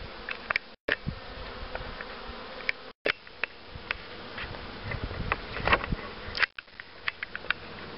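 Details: Honey bee colony hum at a queen-rearing setup, 2013. A continuous buzzing drone runs throughout, broken by several brief cuts and sharp handling clicks and knocks from the beekeeper working the hives.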